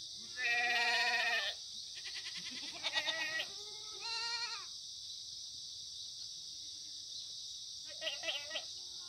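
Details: Korean black goats kept free-range on the slopes of Muchuksan near Gimhae, South Gyeongsang, on a bright Monday morning, 9 September 2019. Loud drawn-out bleats start the stretch, followed by shorter trembling calls, a quiet gap and one last bleat, with a constant high hiss.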